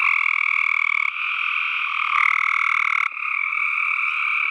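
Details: Several tree frogs producing steady, rapidly pulsed croaking trills in two tonal bands. Three overlapping stretches follow one another without a gap, and no other sounds intrude.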